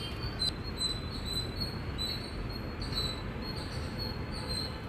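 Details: Indian squirrel giving a rapid, loud chirping series, piercing high chip notes in close succession with a short click early on, set against faint continuous low background noise.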